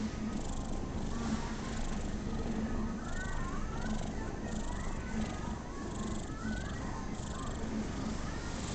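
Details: Domestic cat purring as it enjoys being patted, unusually still; continuous low rhythmic rumble pulsing below the mid range, with soft intermittent higher sounds like distant voices drifting in the background.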